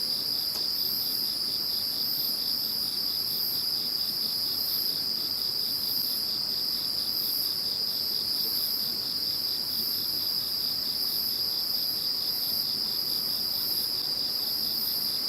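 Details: Once Typhoon No. 21 has gone, an insect chorus carries on unbroken: one piercing sustained trill, a rapid pulsed chirring just below it, and faint swelling high-pitched waves repeating roughly every second.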